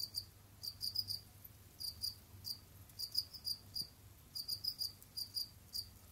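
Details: Captive Jamaican field crickets (Gryllus assimilis) kept as pets, roaming, digging and hunting other insects. They give high, thin chirps in quick clusters of two to four pulses, spaced irregularly, over a quiet background.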